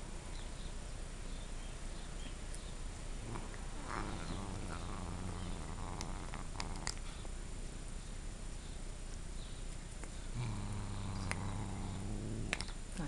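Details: Domestic cat growling while eating a dog's dental stick treat: low, rumbling growls, a brief burst near four seconds and a longer sustained stretch toward the end, over steady background hiss with faint clicks and chewing noises.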